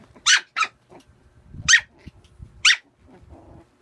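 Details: Four bright, squeaky puppy barks during play, two in quick succession, then two more spaced about a second apart, with light shuffling and low grumbling sounds in between.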